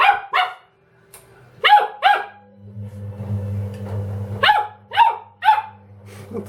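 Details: Indoor Dobermann, Ramses, reacting to a washing machine with a pair of barks, then two more, a quieter gap filled by the machine's humming, and a final burst of three sharp barks.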